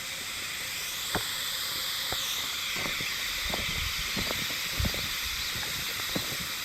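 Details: Continuous high, wavering buzz of Hime-harusemi cicadas, heard but not spotted, in Yamaguchi Prefecture, Japan, 19 July 2022, forming an even wall of sound broken only by faint clicks and soft knocks.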